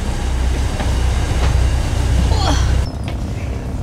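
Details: Heavy low rumble of a moving train or vehicle, with brief squeals and clanks and no animal voice.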